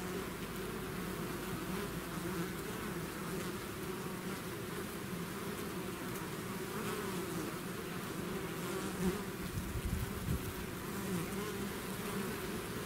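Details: A swarm of bees leaving its hive fills the air with a dense, unbroken hum, low droning bands layered under a hissy wash, with a few louder close passes near the end.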